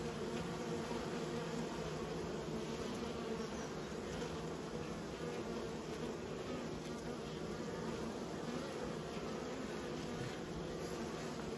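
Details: Beekeeper's honey bees giving a continuous, even drone of low humming tones, a thick steady buzz with slight wavering and no other clear sounds.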